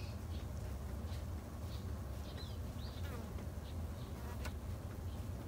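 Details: Garden-kept Japanese honey bees tended by a new beekeeper in Japan, a continuous soft low drone with faint high chirping birds scattered in the background.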